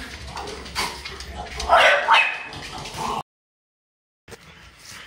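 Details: French Bulldog playing hide and seek at home in Japan; a few short, harsh bark-like yips rise in a burst near the middle, amid household rustling and voices, then a brief silence and faint room noise.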